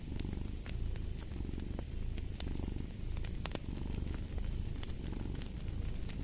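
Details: Low, throbbing cat purr running without pause, its breath-paced swells clear beneath frequent dry fireplace crackles.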